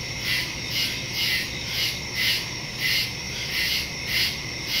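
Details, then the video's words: Woodland crickets after dark, September 2, 2023, Samsung Galaxy S22 Ultra with Shure MV88+ microphone; high shrill pulses swelling about twice per second, around nine beats in five seconds, steady chorus background. "Crickets in the woods at night"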